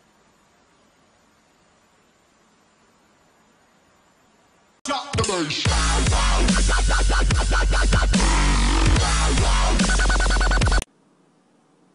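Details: Near silence gives way to a six-second burst of loud dubstep with pounding bass, then quiet returns, with no animal voice anywhere.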